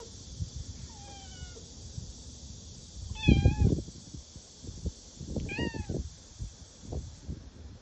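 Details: Stray cat eating a cicada gives three drawn-out, slightly wavering meows spaced a couple of seconds apart, amid crunching, chewing clicks and a steady background hiss.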